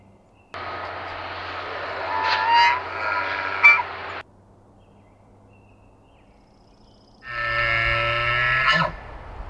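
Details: Elk bull bugling at night as the largest bull, called the Sheriff, faces another bull's challenge while several other bulls share the area. Two bugles, one about four seconds and one about two, each a high whistle over a low raspy rumble, ending in sharp squeals.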